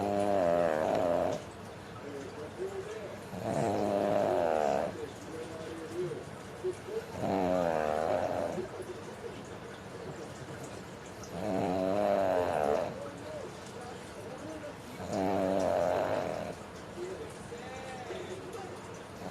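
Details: Pug snoring while fast asleep, slow rhythmic snores every three to four seconds, each a rough, buzzy, drawn-out rasp with quiet breathing between.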